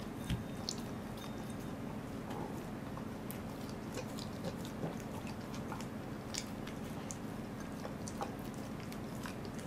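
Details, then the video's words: Welsh Corgi named Goro eating a fish, recorded 2 August 2014 indoors; irregular wet crunching and biting clicks scattered through the clip over a steady low room hum. "Goro eats a fish. / お魚を食べるゴローさん"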